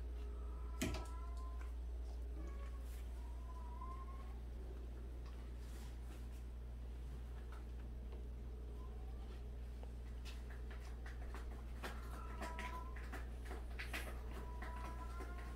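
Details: Domestic cat in a household of 76 cats, among abandoned and street cats; several short, rising-falling meows at scattered intervals over a steady low hum, with faint clicks and rustles indoors.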